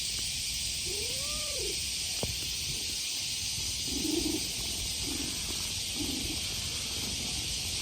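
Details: A handsome stray male cat being stroked gives a short, soft arched mew, followed by a few faint murmurs, while loud summer cicadas drone steadily over everything.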